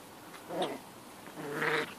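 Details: Black and white Boston Terrier pups playing in a garden with an older dog named George; two short high whimpering squeals, the second longer and rising, over quiet outdoor background.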